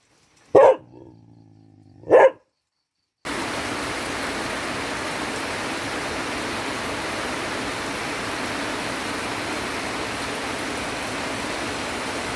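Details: Dog practising barks in the rain gives two sharp, clipped barks about a second and a half apart, then a steady, dense hiss of heavy rainfall takes over for the rest.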